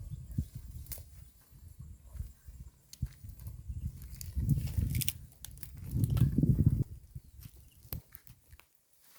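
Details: Cows in a herd eating green grass beside a road, heard as low crunching and tearing bites in irregular bursts, two louder grinding spells near the middle, with scattered clicks and rustles.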